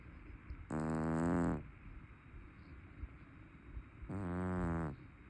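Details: Two long, gravelly snores, each close to a second long and about three seconds apart, from a sleeping, overweight brown tabby cat known for its loud snoring. A low indoor hum sits underneath.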